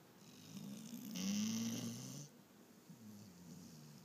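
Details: Sleeping German Shorthaired Pointer snoring: a drawn-out low rumbling inhalation of about two seconds with a brief hissy breath, then a softer, shorter snore rising again, in a quiet room.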